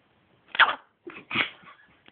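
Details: Spike, a Chihuahua, reacting after being disturbed in his sleep: a short harsh yap followed by two rougher growling barks, each under half a second, in an otherwise quiet room.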